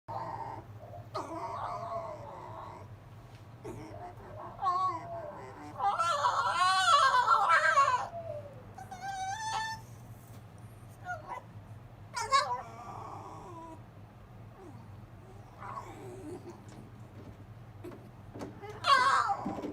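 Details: Zorro, a captive silver fox, whining at his older brother Tod on the kennel top in a nightly routine, giving wavering, warbling whines in bursts, some stretched over two seconds, with shorter squeaks between and quiet indoor background.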